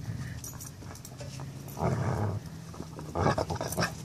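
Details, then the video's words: Foster puppies teasing an older dog, low rough growling bursts near the middle and end over a steady low background hum, with faint scuffling between them. "Foster Puppies teasing Kowe"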